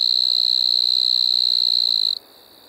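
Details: Continuous high-pitched trill of a striped marsh-cricket recorded in Maggia, Switzerland, 1 September 2023, sustained at a constant pitch for about two seconds before stopping abruptly, leaving only a much fainter tone behind.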